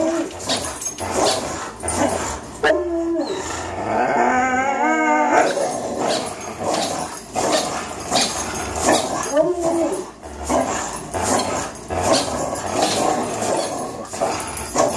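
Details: Tug-of-war play between two three-year-old dogs, Greyhound Fox and German Shorthaired Pointer Miles. Heavy, rough growling runs almost unbroken, with a wavering whine-howl in the early seconds and another short whine later on.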